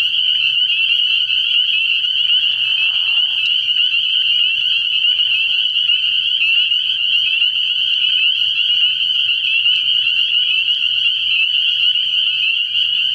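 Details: A night chorus of spring peepers at a frog pond early in the year: countless piercing high peeps overlap into a constant shrill ringing, with a short lower buzzy call around the third second.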